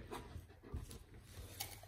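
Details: Hugo, a Bernese Mountain Dog, is heard indoors while his family talks to him: soft rhythmic panting and breathy huffs with a faint whimpering tone, low and noisy, amid quiet room sounds.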